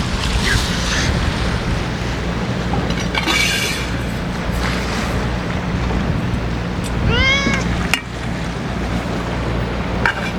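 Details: Ear-tipped stray cats at feeding time on a day of strong wind; a clear rising-falling meow near seven seconds amid loud gusty wind roar and occasional clatter.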